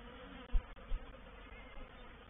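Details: Honey bees of a reproductive swarm moving into a bait hive, or swarm trap, at Painted Peacock Manor on 04/07/21; a low, steady droning hum with two brief dull thumps near the start.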